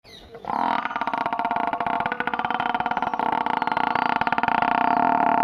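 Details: A village water buffalo gives a long, drawn-out bellow, steady and harmonic with a rough, pulsing edge.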